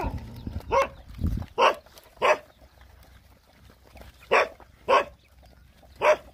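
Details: Hungry Rottweiler puppies nursing from their mother let out short, separate yelps about once a second, with quiet stretches between them and a brief low thump near the start.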